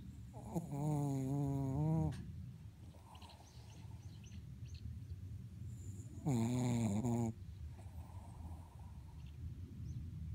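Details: Sleeping Shih Tzu named Mocha giving a strange snore: a long, quavering, buzzy tone of about one and a half seconds, then a shorter one four seconds later, with soft breaths between.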